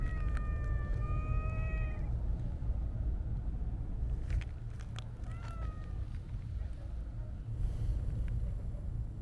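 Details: Siamese-mix cat being petted, with a dancing tail, gives two drawn-out harmonic meows in the first two seconds, then a shorter, slightly bent meow near the middle, over a steady low rumble of traffic.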